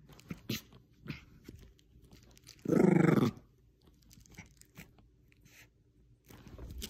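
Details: Bichon Frise playing tug of war indoors with a little stuffed squirrel toy: one short, loud rumbling growl in the middle, surrounded by soft crunching and chewing noises from the toy.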